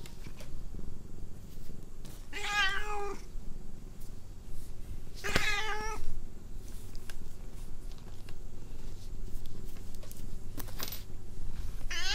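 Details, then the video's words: Irritated house cat not in the mood for petting, letting out two short, harmonic, slightly falling meows near seconds two and five, followed by soft handling noises and rustles indoors. "IRRITATING THE CAT"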